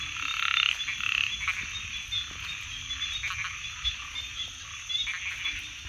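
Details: A chorus of frogs croaking in overlapping pulses that swell and fade, a couple of louder bursts early on, over a constant high trilling background and faint low rumble.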